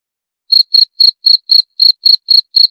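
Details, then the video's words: Cricket chirping: after half a second of silence, short high buzzy pulses repeat rapidly and steadily, about four per second, against a completely quiet background. "19 Menit Suara Jangkrik - 19 Minutes Cricket Sound Effect"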